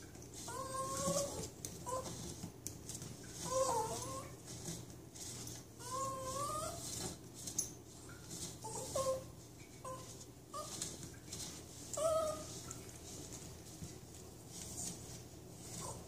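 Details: Toy Manchester Terrier named Mindy having her back rubbed with a backscratcher gives soft, tonal, harmonic whining moans that rise and fall, repeating roughly every two seconds, with faint rustling between them.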